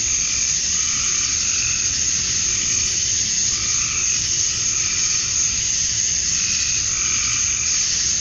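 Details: Male cicadas chirping to attract females at dusk on a summer night in Georgia, USA: a steady, dense, high shrill drone fills the air, while softer lower pulsing notes rise and fade every second or two beneath it.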